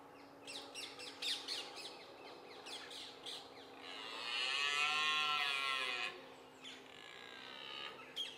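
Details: Red deer during the rut in Richmond Park on 5 October 2014 at sunrise, filmed on a Nikon D7100. Sharp bird chirps come first, then one long, loud, groaning roar lasting about two and a half seconds, followed by more chirps.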